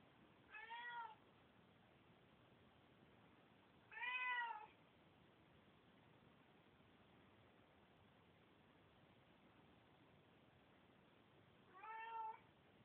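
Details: Bengal cat (Felis catus), meow.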